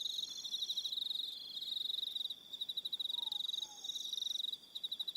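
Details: Crickets on Aroha Island, New Zealand, in the evening: a dense, fast-pulsed chirping band, high and steady, breaking off briefly twice, with thin sustained high tones above and a faint low two-note call near the middle.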